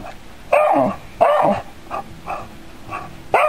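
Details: Wary dog reacting to a cat-shaped android, letting out quick yelping barks mixed with softer whimpering yips, roughly one every half second, in a quiet indoor room.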